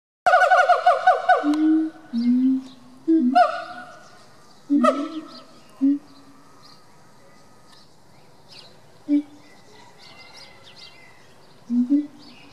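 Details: A captive siamang pair in a small zoo park in Bad Pyrmont, Germany, in November 2018, staying mostly indoors, sing in loud bursts: ringing harmonic barks and wails alternating with lower hoarse hoots in uneven clusters, with faint background chatter.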